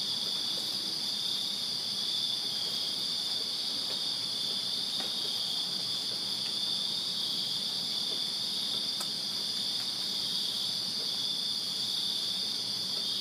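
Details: Crickets chirping on a summer night in a backyard in Virginia: a dense, continuous high-pitched trilling chorus from many insects, steady in loudness throughout, with a faint low rumble beneath.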